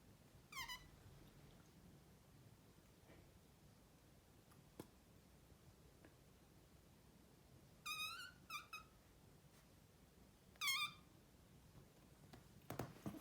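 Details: Chatty male Maine Coon chirps at its owners in a quiet room: one sharp rising chirp, a long silence with faint clicks, then a double chirp and another single chirp a few seconds apart, each bright and harmonic.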